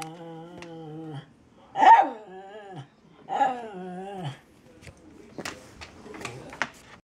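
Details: Domestic female dog growling at shadows indoors, something she does a couple of times a week; steady low growl, then two louder whining growl bursts, followed by scattered clicks and rustling.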